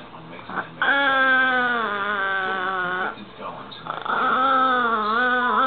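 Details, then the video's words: Dog making a sound likened to a remote control car: two long, steady, nasal whines lasting about two seconds each, pitch sagging then levelling off, separated by a short pause with faint background noise. "Dog sounds like a remote control car"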